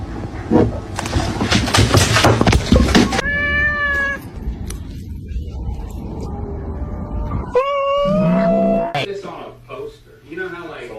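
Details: Domestic cat giving two drawn-out, strongly harmonic meows, the second sliding upward then tailing off, after a burst of loud broadband noise and human speech at the start, with faint voices and rustling between calls.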